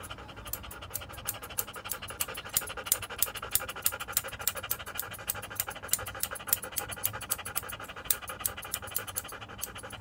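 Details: Standard poodle Joe, being groomed in a Paris salon, breathes in rapid, steady pants, a sharp airy rasp several times a second over a low indoor hum.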